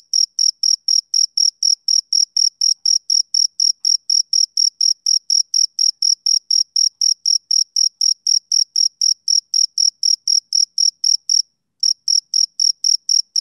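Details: Male cricket chirping on a summer evening: a steady, high, clean pulse repeated about four times per second, with one short break near the end and no other sounds.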